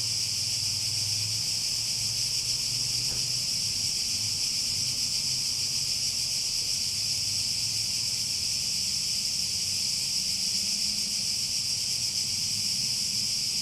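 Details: Shrill, sustained cicada drone, a constant high sizzling wash that holds steady the whole time, with a soft low rumble beneath and a single faint tick early on.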